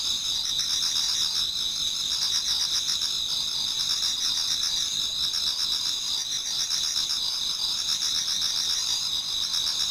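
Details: Autumn insects in a Japanese garden near dawn sing together in an unbroken shrill chorus, layered high trills and rapid chirping pulses holding steady for the whole stretch.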